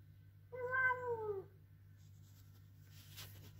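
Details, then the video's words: A male Ragdoll cat gives one long, loud protesting meow that falls in pitch at the end. "Ragdoll Cat Protest Loudly Meowing"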